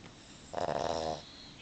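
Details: A female Boston Terrier, sound asleep though her eyes are open, gives a single rasping, fluttering snore lasting about half a second.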